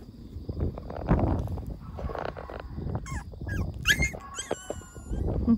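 A Pembroke Welsh Corgi gives high, wavering whines and short yelps over a noisy, low rumbling background.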